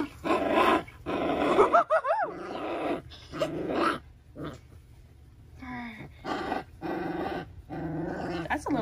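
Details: A tiny female Cane Corso puppy with an angry attitude gives short, rumbling growls between bursts of a man's speech.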